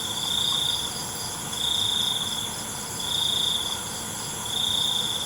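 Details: Crickets in the night chirp in high trilled bursts about every one and a half seconds, over a persistent shrill insect chorus.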